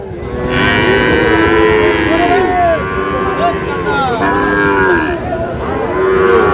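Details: Lowing from Sahiwal bull calves being sold at Ambari market, Manikganj, Bangladesh, 14 August; several overlapping bellowing moos with bending pitch come one after another, amid a noisy crowd of traders talking and haggling.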